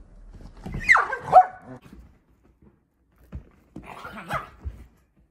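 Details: Dachshund and Husky at play together; two short bursts of high yipping barks with a falling whine, then a pause and a second yappy cluster, with low scuffling sounds of play.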